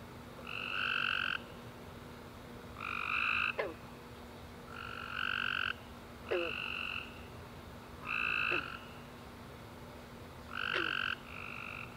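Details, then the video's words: Tree frogs chirping at night after a warm, rainy summer day: short buzzy, nasal notes with a bright upper tone, about six in twelve seconds at uneven gaps, plus faint quick downward chirps and a steady low hum. "Tree Frog Chorus After A Warm Rainy Day - 10 Hours Tree Frogs Chirping"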